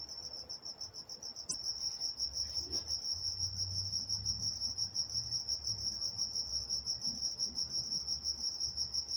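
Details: Crickets at night in Walnut, California: a bright, high, rapidly pulsed trill runs unbroken, with a brief click early on and a faint low rumble in the background.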